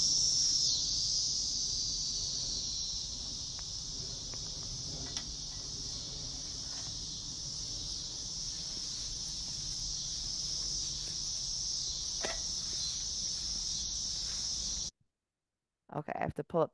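A cicada's continuous, high, shrill buzzing drone holds steady without a break.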